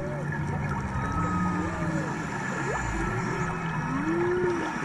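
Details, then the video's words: Humpback whales singing underwater off Maui during a March dive: overlapping tonal moans, short arching and upswept whistles, and a long rising-then-falling low groan near the end, over steady low rumble and bubbling water. "Diving in Maui (Serenaded by Humpback Whales)"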